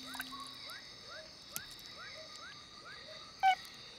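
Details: Male frog calling from a hole at nightfall in Borneo jungle, short rising chirps repeated about three times a second over a steady high hum, with a sharp click partway through.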